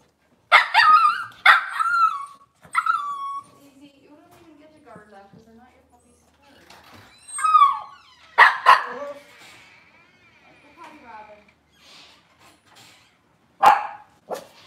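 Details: Indoor kitchen setting with Cavalier King Charles Spaniel puppies and adults on a cloudy morning: a quick run of three high, ringing yelping barks, then quieter whines, two more bark bursts and one final sharp bark, over soft human voices.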